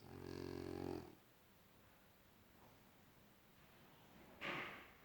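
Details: French Bulldog snoring: a loud, low, buzzy rattle lasting about a second, then near quiet, and a short breathy snort near the end.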